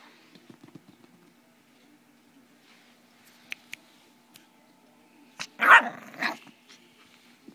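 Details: Dog indoors giving a sustained, smooth, mid-pitched howl that rises slightly, then bends sharply into a brief louder wavering cry and falls away, amid a person coaxing it with repeated "mam" sounds.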